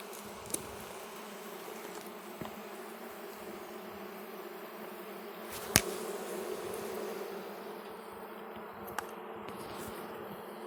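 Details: Hive of Russian honey bees at its first opening on a red stand, with wax being cleared from frames: a continuous even buzzing drone in two low layers, broken by sharp taps and a louder knock from the frames being moved.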